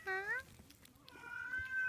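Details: Munchkin kitten, 37 days old, indoors: two thin, high meows, the first rising and short, the second longer and flat, with faint rustling between.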